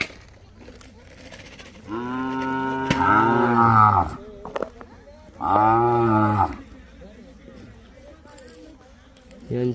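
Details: Cattle at a stall of Khillar and Mysore calves, a line of bullocks bred for racing: two long, loud, harmonic moos, each about two seconds, the first rising then falling and the second steadier, with brief speech and clatter between them.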